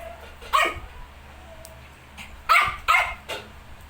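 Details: Shih Tzu with 19-day-old puppies indoors: four short, sharp, broadband yaps, one alone then three close together, over a steady low background hum.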